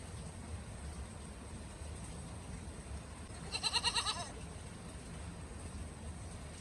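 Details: Goat out in the snow giving a single loud, quavering bleat with a rapid tremble, lasting under a second midway through, against steady background hiss and a faint constant high whine.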